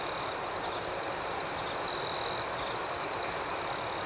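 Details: Crickets at night: a steady high, shimmering chorus of fast pulsed chirps, with one louder, sustained trill standing out for about half a second midway.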